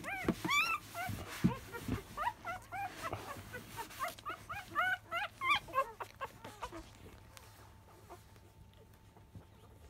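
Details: Field-line Labrador Retriever puppy, five days old, at the 10 a.m. feed: rapid high whimpers and squeaks for about six seconds, then settling into near silence.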